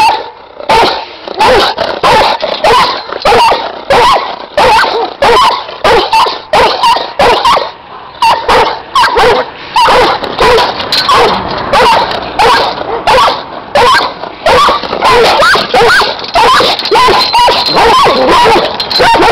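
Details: Guard dogs of the Giant Schnauzer breed keep up loud, fast barking, several voices overlapping in a near-continuous, irregular barrage with only brief dips.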